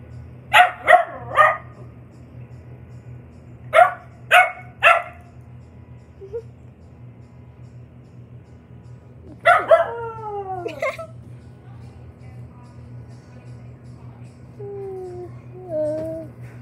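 A Cocker Spaniel gives quick triple yips, then drawn-out, falling howls with a wolf-like quality.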